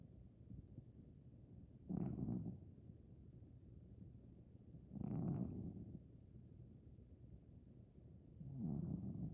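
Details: Sleeping, dreaming Maine Coon cat aged over fifteen snores in three rough, low rasping breaths roughly three seconds apart, separated by hushed steady breathing.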